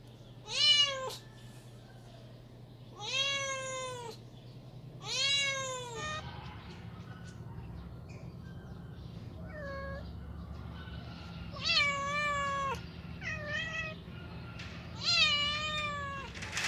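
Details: Domestic cat meowing because it wants to go outside: a run of loud, drawn-out, harmonic-rich meows, each rising then falling, about seven calls spaced one to three seconds apart over a faint low hum.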